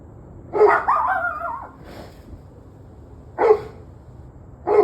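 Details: Dog barking on the evening of 21 November 2023 at 7:06 pm: a drawn-out, wavering bark followed by a fainter one, then two short sharp barks spaced about a second apart, over quiet low background hum.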